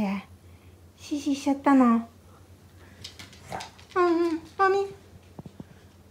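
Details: Shiba Inu Momi, a three-year-old female suffering from cystitis, cries indoors in two whiny bursts of falling, harmonic tones, each lasting under a second, with human speech heard in between.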